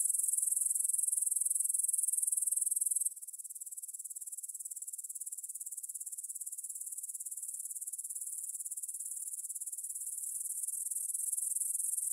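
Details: Grasshoppers stridulating in a meadow field near the Svensky monastery, Bryansk, Russia, at 9pm on September 6, 2020, stereo Tascam DR-44WL: dense, high, shimmering chirring of rapid pulses that drops abruptly in loudness after three seconds, then slowly swells.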